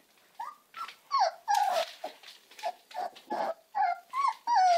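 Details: American Staffordshire Terrier puppies whimpering and yelping: a rapid string of about a dozen short, high, wavering cries, some rising then falling, closely spaced over a few seconds with brief gaps between.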